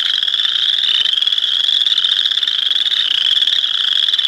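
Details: Dense chorus of boreal chorus frogs, many rapid pulsed creaking trills overlapping into an unbroken high buzzing wall of sound with a slightly wavering pitch.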